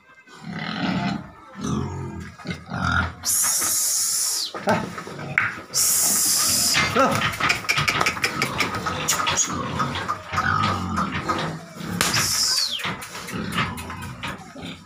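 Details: Farm pig raised on feed letting out long, shrill squeals in several bursts between lower grunts, with people talking throughout.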